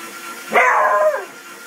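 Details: Four-month-old Beagle puppy screaming at a shredder: one harsh, wailing yelp lasting under a second, rising sharply and then sliding down at the end, over faint room noise.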